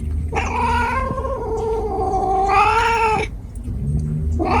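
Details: Cat gives a long, drawn-out wailing caterwaul of about three seconds, swelling and dipping in pitch, then a second wail starting as the first ends, with low background rumble.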